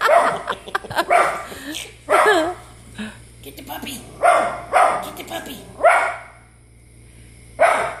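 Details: Pet dog barking at dogs shown on TV: sharp, harsh barks in short bursts, about eight across several seconds, some doubled, with irregular pauses and a person speaking between them.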